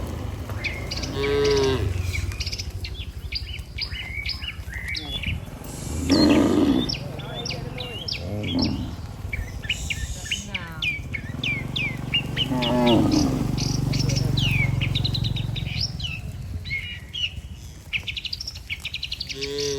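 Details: Healthy cattle herd walking together toward the barn with a herder: several low, drawn-out moos spaced a few seconds apart, set against a busy backdrop of chirping birds and a steady low rural hum.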